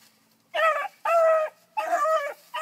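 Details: Annie, a four-month-old bluetick beagle pup, gives three drawn-out, ringing yelps while tracking a rabbit. Each clear, tonal cry lasts about half a second, separated by short pauses, in a quiet setting.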